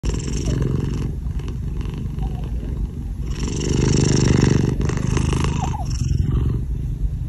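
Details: Pet cat purring while sleeping together with a ferret; a steady, low, rumbling purr runs throughout, swelling louder in the middle, with faint rustling.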